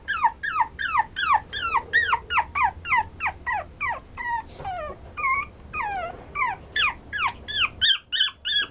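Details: Brown Toy Poodle, a male, yelping and whining insistently: loud, high cries that swoop downward, repeated nearly three times a second with a few longer drawn-out whines midway, and a steady faint high tone behind them.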